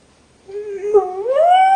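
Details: Pet dog complaining about being left in a kennel, a single short whine starting low and steady, then sliding upward into a higher sustained tone.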